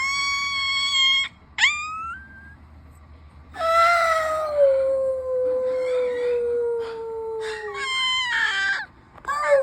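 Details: A 2-week-old male ginger Siberian Husky puppy gives thin, high squealing cries, then a long wavering howl that slowly sinks in pitch.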